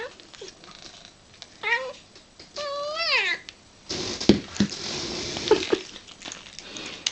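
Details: Female house cat delighted by tuna with cat crunchers calls with two clear meows, the second longer and wavering like "mama". Louder clattering, rustling and handling noises then fill the rest of the recording.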